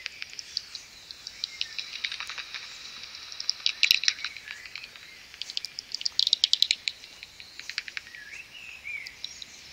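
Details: Common pipistrelles, about 70 of them, gather and swarm outside a maternity roost just before sunrise. Clustered bursts of sharp clicking and ticking rise and fall throughout, and a brief warbling bird note is heard near the end.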